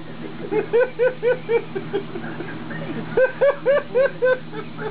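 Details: Tala, a female wolf-dog of wolf, Chow, Malamute and Husky mix, talking eagerly: short arching, harmonic yowls in a run of five, a brief pause, then another run of five, over a low steady hum.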